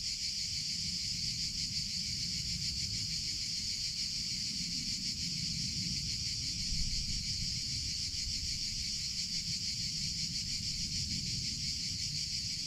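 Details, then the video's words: Cicadas in summer: a sustained high, shimmering buzz with a faint rapid pulse, steady from start to end, over a low background rumble. "CICADA SOUNDS - Sound Effect of Cicadas in Summer Sounds of Cicada (Chicharra, Campanero)"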